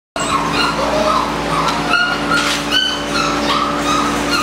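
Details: Malinois puppies, eight weeks old and socialized daily, give thin high-pitched whimpers and whines that rise and fall in short overlapping bursts, layered over a steady low electrical hum.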